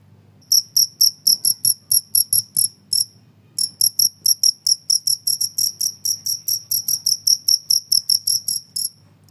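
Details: Noisy cricket, presented as a sound for training songbirds and scaring off mice, gives a dense run of bright, ringing chirps about three per second, pausing once briefly, then resuming at a steady pace.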